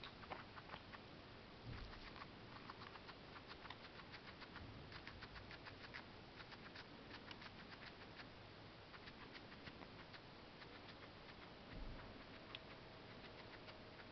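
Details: Female guinea pig munching parsley, a fast, continuous patter of crunchy bites and chewing with brief pauses, set against steady low hiss.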